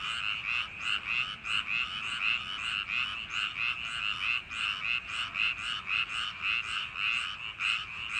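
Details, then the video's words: Many frogs croak together along paddy-field banks on a summer night. Harsh pulsed notes repeat quickly and unevenly, with a continuous busy chorus and no other sounds standing out. "여름밤 논두렁개구리소리"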